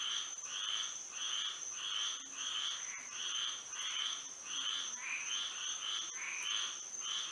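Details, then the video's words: Frogs singing together on a moonlit night in Florida: overlapping bursts of rapid trilled croaks, roughly one and a half per second, with a steady high-pitched drone running underneath throughout. "A frog symphony to sleep and relax to"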